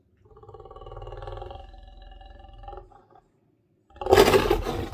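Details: In the morning, a big male lion outside a camp kitchen window in Southern Africa gives a deep, rumbling growl that pulses steadily while guarding a lioness lying by the wall, keeping people back.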